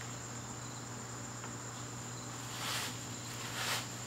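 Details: An evening garden in September with crickets sustaining a high, steady trill; a low hum runs underneath and two short rustling bursts break in near the end.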